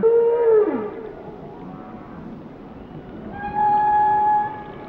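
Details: Whale song: a held mid-pitched tonal note that bends downward, a quiet pause, then a long steady whistle-like tone with overtones, against faint underwater background hiss.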